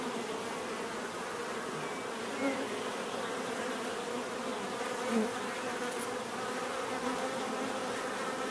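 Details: Bees buzzing in a continuous low hum, with single bees flying close and briefly louder about three times, their pitch sliding as they pass.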